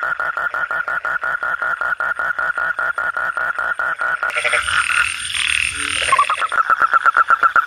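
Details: Frog calling at night, a rapid train of short, even croaks repeated about two to three per second; a burst of broadband noise masks the calls midway before the croaking resumes.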